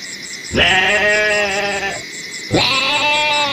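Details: Two drawn-out goat bleats, harsh and quavering with a sharp onset, the second cut off at the end; a rapid high-pitched pulsing buzz and a faint steady whine continue underneath.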